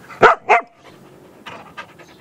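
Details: A Maltese dog barks while playing: two quick, high, sharp barks, followed by softer sounds and people talking.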